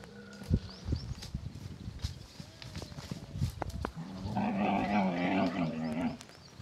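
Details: Lone baby camel in the Tharparkar desert, crying as it runs: thuds and clatter, then a long, hoarse, moaning bawl lasting about two seconds near the end.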